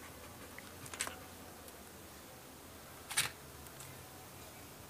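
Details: Two sharp camera shutter clicks sound in a quiet small room over faint background hiss, with no animal vocalisation.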